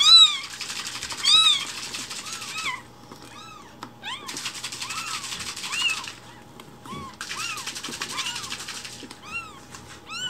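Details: Newborn foster kittens a week old, umbilical cords attached, keep up quick repeated high mews, some clipped short, while bursts of crackly rustling come and go.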